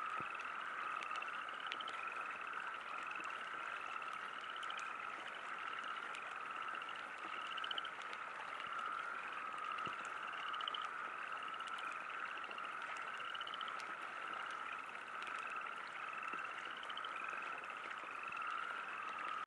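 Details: Frogs calling at a river campsite under light rain; a dense, constant shrill chorus with regularly repeated short rising pulse-trains about every second, plus soft scattered raindrop clicks.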